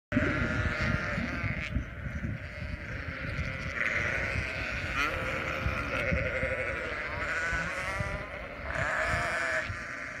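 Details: Flock of sheep on a ranch in Western Australia, bleating continuously with overlapping, wavering nasal calls from many animals, steady layered chorus throughout with low rumbling background.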